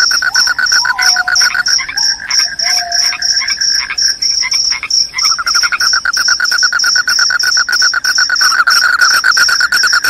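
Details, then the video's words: Dense chorus of loud, high-pitched cricket chirps repeated in rapid pulses, overlaid by a strong lower pulsing trill and a few short whistled notes in the first half. "SUARA JANGKRIK PENGUSIR TIKUS, JANGKRIK JANGKRIK SUARA NYARING BIKIN NGANTUK"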